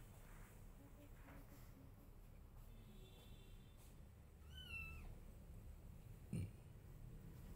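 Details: Domestic cat, a mother wanting her kittens to follow her while the kittens pay no attention; one high, drawn-out meow with a slightly falling end midway through, over a low steady rumble and a short knock near the end.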